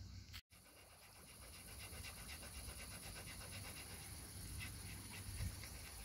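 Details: Quick rhythmic panting from a pet dog, the household's Bernese mountain dog or Labrador, Lily or Sofia, during Sofia's birthday days in June 2023; rapid airy puffs roughly four per second under a steady background hiss.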